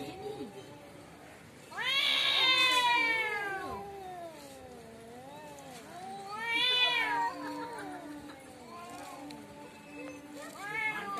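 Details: Quarrel between cats in front of a home: loud, strained caterwauls that surge upward then sag into low moaning wavers. Two big howls about five seconds apart, then a shorter third rising wail.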